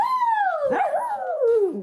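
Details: A dog gives a drawn-out, wavering howl that slides down in pitch over about two seconds, with a brief break in the middle; faint background sounds.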